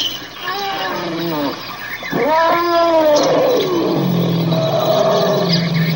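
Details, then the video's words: Elephant trumpeting loudly: a rich, harmonic, downward-bending blare, a brief break, then a longer sustained call that swells and slides down before trailing into lower, buzzy groaning tones. "TIẾNG VOI RỐNG ĐÁNG YÊU"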